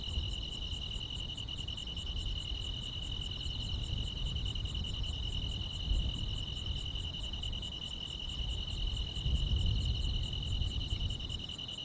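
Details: Night insects in the grass on a summer evening, a sustained buzzy trill layered with faint high pips repeating at a steady pace of roughly three per two seconds, and a low rumble rising around the tenth second.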